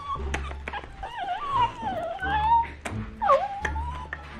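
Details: Silver, a female Italian greyhound who cries whenever she wants attention or something else, gives long, wavering, high-pitched whines that rise and fall.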